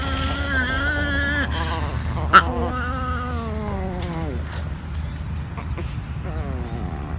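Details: Small female chihuahua guarding her treats against sharing: long tonal moans, one held steady, then another sliding slowly downward and fading, with a brief sharp knock midway and a low background hum.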